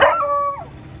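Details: A 7-month-old male Beagle guarding at the gate barks at a cow outside, a single ringing bark that holds a steady tone, then slides downward, warning off the intruder.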